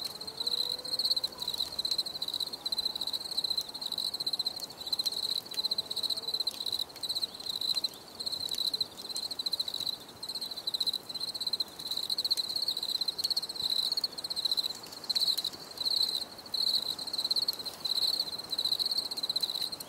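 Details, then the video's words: Cricket chorus offered for relaxation and stress relief, a steady high-pitched pulsed chirping that runs nearly the whole time in short trilled bursts, with faint lower tones early on and scattered clicks. "Les grillons || Bruit de Grillons Pour la Relaxation Anti Stress"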